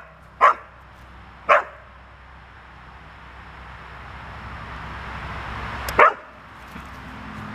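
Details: Red standard poodles Cayenne and Clifford at play with a ball; three short sharp barks, two about a second apart and a third after a pause of four seconds, over a steady low hum.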